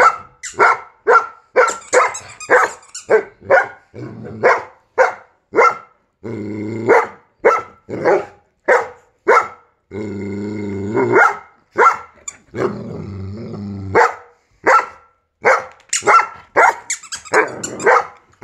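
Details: Giant Schnauzer barking at a squeaky sound: a long, rapid series of sharp barks, several per second at times, broken by two drawn-out growling grumbles, with high squeaks sounding throughout.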